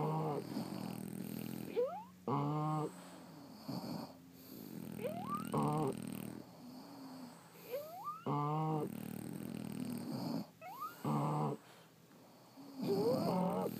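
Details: Sleeping French Bulldogs snore in steady cycles: raspy low rumbles alternate with short squeaky whistles sweeping upward, several breaths layered as more than one dog snores, no other sounds.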